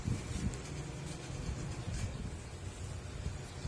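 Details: Steady low wind rumble and passing vehicle noise outdoors, with no animal calls.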